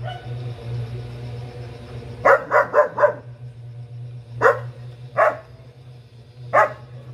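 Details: Four quick, sharp barks in a tight cluster from Gabbar, a four-month-old German Shepherd puppy with a double coat, followed by three single barks spaced about a second apart, against a steady low droning hum.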